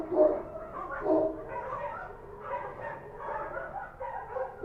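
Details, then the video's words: Street dogs barking at night in Kabul, Afghanistan: two loud, sharp barks near the start, then overlapping fainter barking from several dogs continues throughout. "Street dogs barking at night"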